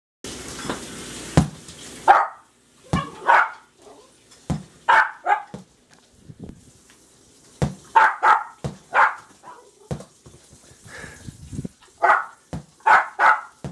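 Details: Jack Russell Terrier puppies going crazy over a ball: sharp, high yapping barks in short bursts of two or three, with pauses between, after a brief noisy rustle at the start.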